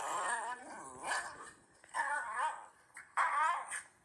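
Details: Ranmaru, a Shiba Inu, grins and makes embarrassed laughing noises on the sofa while shown a clip of his own rain-soaked rampage; wavering, whiny grumbles rise and fall in four or five bursts, with a low growly undertone, indoors.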